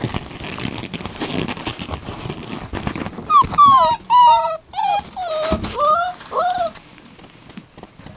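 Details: Several puppies, identified by colored collars as purple boy, green boy and red girl, whine and squeal in a run of high, bending yelps in the second half, after a quieter start with soft background noise.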